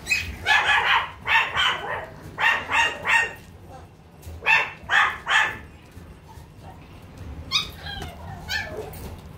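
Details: Toy poodle giving short, bright yaps in quick clusters of two or three, roughly nine in the first five and a half seconds, then fainter, scattered high yips over a low steady background hum.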